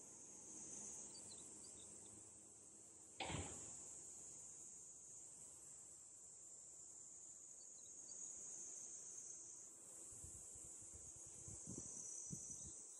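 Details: Unbroken high buzzing drone of summer cicadas at a rural Japanese dam park near Tokyo, interrupted by one sharp knock around three seconds in and a few low thuds toward the end.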